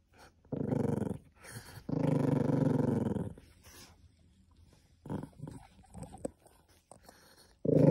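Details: Cream Poodle growling indoors while guarding something from being taken. Low, rough growls come in bursts: one short, then a longer rumble of over a second, followed by brief murmurs and a fresh growl at the end.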